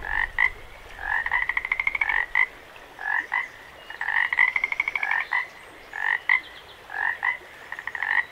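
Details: Several frogs beside a running creek at Jacobs Creek, giving rapid pulsed trills and short double croaks that trade back and forth almost continuously, over a constant hiss of flowing water.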